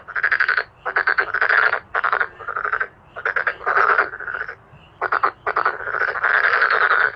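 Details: Male black-spotted pond frogs calling in a booming chorus, harsh rattling croaks in quick clusters, some drawn out, with brief quiet gaps between bursts.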